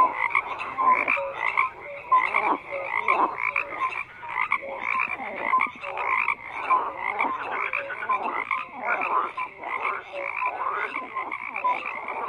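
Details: Dense frog chorus of many animals croaking at once, rough pulsed calls layered over short clear tonal notes, steady and unbroken across the whole stretch.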